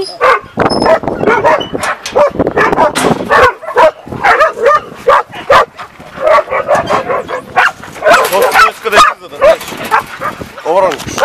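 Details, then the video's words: Shira, a dog, greeting with a rapid, irregular burst of sharp barks and yips, more than two a second, mixed with high whimpers and people talking excitedly in the background. "Shira's greeting/Шира посреща"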